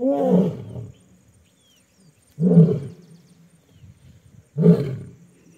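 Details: Asiatic lions in the Gir forest area, Junagadh, Gujarat, India, give harsh, deep roaring snarls in three loud bursts during an infight.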